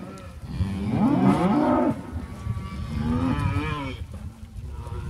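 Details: Cows and calves mooing: two deep, drawn-out moos about two seconds apart, the first loud and wavering, the second softer and rising, over a steady low background rumble.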